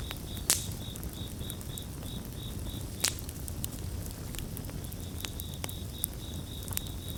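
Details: Crickets chorusing beside a crackling bonfire: thin, high chirps in short, even pulses several times a second, pausing briefly midway, then resuming. Sharp pops and snaps of burning wood and a low, steady rumble run throughout.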